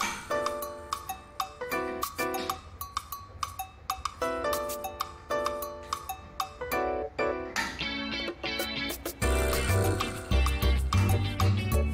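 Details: Plucked-string music with clear repeated notes plays throughout, joined by a heavier bass beat near the end; no animal voice stands out.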